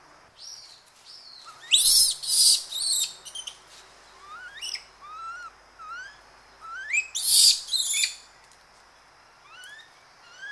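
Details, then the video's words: Aggressive calls from a group of Japanese macaques in trees, close up: two loud outbursts of rough, noisy screams, each lasting about a second, separated by many short, rising whistled cries; rustling and background birds audible. "Japanese Macaque / CU Screams And Aggressive Calls. Rustling In Trees, Several Animals."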